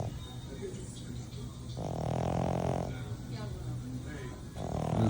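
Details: Sleeping French bulldog snoring like a fat grandpa: a loud, rough, buzzy snore of about one second, with another starting about three seconds later. A quiet room hum sits between the snores.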